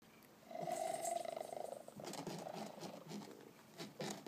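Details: Male Maine Coon cat, happy, purring loudly indoors: a rapid, throbbing rumble with a steady buzzing tone lasting about a second and a half, followed by a person talking and handling noises.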